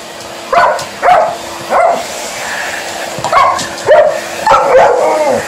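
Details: Indoors with a hoover running, Alaskan Malamute Liza keeps up a chattering series of short yipping barks and talkative woo sounds, roughly twice a second in places, against a steady vacuum cleaner hum.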